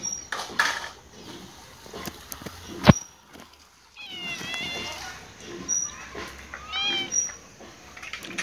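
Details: Cat meowing for food while perched on a wall; a sharp knock near three seconds, then two harmonic, drawn-out meows in the second half over background murmur and voices.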